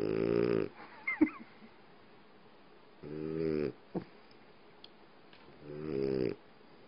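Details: French Bulldog asleep on its owner's leg, snoring: three rasping, harmonic snores about every two and a half to three seconds, with a few soft clicks and snuffles between them in a quiet room.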